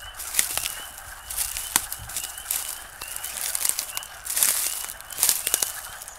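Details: The first frog chorus of 2013: short, high peeping notes repeating from several callers, with scattered clicks and rustles.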